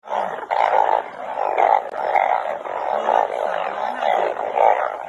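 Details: Dense chorus of banded bullfrogs during rain, the frogs being caught in large numbers. Many overlapping, nasal, bleating calls pulse repeatedly, roughly one every half second, with a faint low wavering tone underneath.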